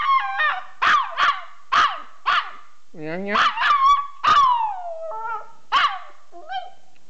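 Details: Cute little pet dog howling and yipping for fun: a quick series of short barky yips about every half second, then longer sliding howls that fall in pitch, one stretching nearly a second, ending with scattered short calls.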